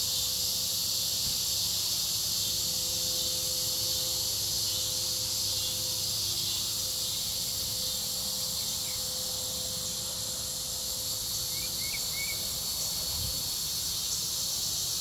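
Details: Cicadas keep up a constant high, hissing buzz throughout, over low machinery rumble and a steady hum, with a few brief chirps near the end.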